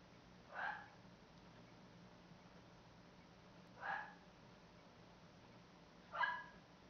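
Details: Elmo, a sweet, well-socialized red nose American Pit Bull Terrier kept as a pet who shares his owner's bed, gives three short, throaty barks spaced roughly three seconds apart over a faint steady low hum.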